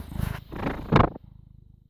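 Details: Purring British Shorthair cat, born 18 August 2010, recorded 6 May 2017 at 21:55: a loud, low, throbbing rumble with a short, louder broadband burst near one second, then a softer, evenly pulsed purr to the end.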